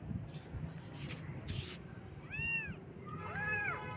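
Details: Kittens on their first morning, giving two arched, tonal mews near the end after a pair of loud rustling bursts, over low background hum.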